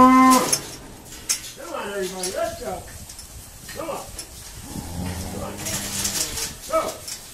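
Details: Irish Dexter cows mooing during a noisy day of sorting at Stone Meadow Farm; a short high tone opens, then several wavering harmonic moos at varied pitches overlap amid clatter and background noise.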